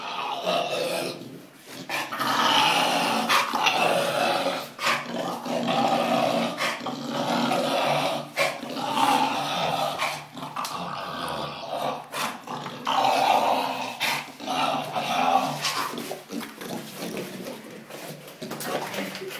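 An English bulldog growls and grumbles in rough, throaty bursts, almost without pause.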